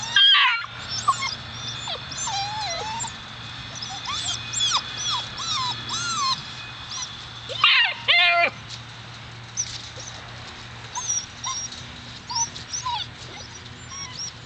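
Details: Seven-week-old Alaskan Malamute puppies from the Daphne and Deuce litter give high, thin whimpers and short yips, wavering up and down in scattered bursts, with a denser cluster around eight seconds over a steady low background hum.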